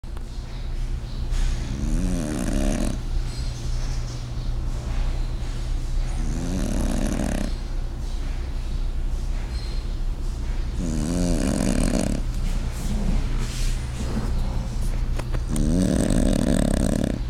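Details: French bulldog snoring, growing louder: rough rattling snores in bursts roughly every four to five seconds, each a buzzy low rasp with a wheezy upper edge, over a steady low hum.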